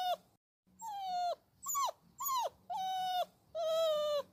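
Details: Puppy whining and crying, with drawn-out nasal whimpers alternating with shorter ones that rise then fall sharply, about five cries in quick succession over a low background hum.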